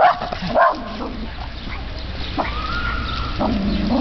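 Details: A dog reacting to a trash bag gives a couple of quick barks at the start, then a long steady whine-like tone and low drawn-out sounds over background hum.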